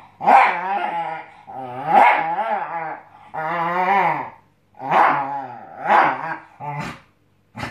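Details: Scottish Terrier indoors while testing a new mattress, giving a run of drawn-out growling, grumbling vocalisations with rich harmonics, about six bursts over eight seconds, some rising into bark-like yelps.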